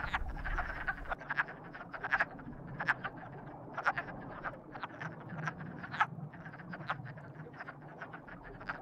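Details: Frogs calling together in a mating chorus, short sharp croaks overlapping in a dense, continuous pulse with louder clicks standing out every second or so over a low background hum.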